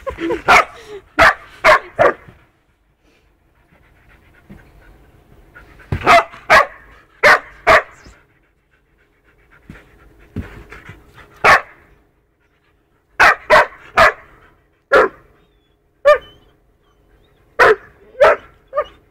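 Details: Two-year-old poodle and four-month-old wolfdog puppy playing roughly together: bursts of sharp, loud barks in quick clusters of three to five, separated by quieter stretches of growling, panting and scuffling.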